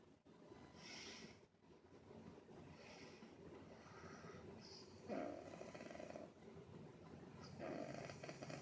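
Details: Snoring from Angel Bear the dog, heard indoors: short, hoarse, rasping snores recurring every couple of seconds, some stronger and longer than others, over a low, steady room background.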